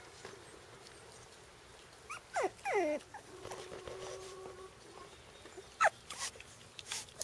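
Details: Shiba Inu puppies, four weeks old and born to Tama, outside for the first time, let out a few short downward-sliding whimpers between quiet stretches, with a sharp high squeak near the end.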